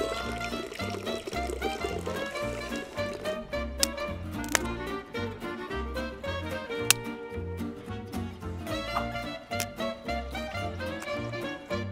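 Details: Layered instrumental music with steady low notes and sustained tones, with no animal voice.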